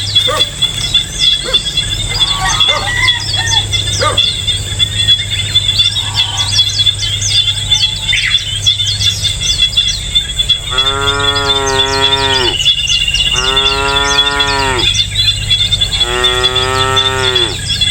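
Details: Distant lowing of cows in a peaceful rural countryside setting: three long, rich, harmonic lows of about one and a half seconds each, spaced a few seconds apart, after a stretch of busy bird chirping over a steady high insect buzz.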